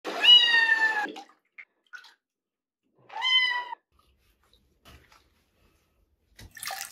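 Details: Kitten Sol mewling in protest during his first bath: two clear, harmonic, slightly falling mews, the first about a second long, the second shorter three seconds later, with faint small sounds between and a brief rustle at the end.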